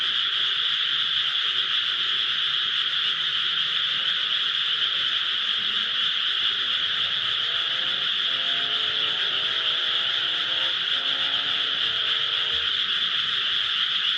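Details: Frogs calling from rice paddies near home keep up a constant high chorus throughout; partway through, a fainter lower tonal sound briefly rises underneath.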